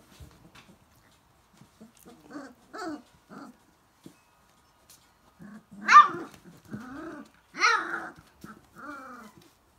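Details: Vizsla being sassy with its big sister dog: soft grumbling growls and moaning vocal bursts, with two louder, sharper yelping outbursts midway and short pauses between.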